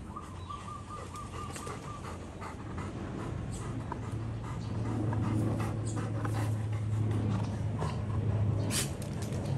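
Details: Two Golden Retrievers in excessive rough play, heard as rapid breathy panting bursts repeated several times a second over a steady low rumble, with scattered brief scuffling clicks.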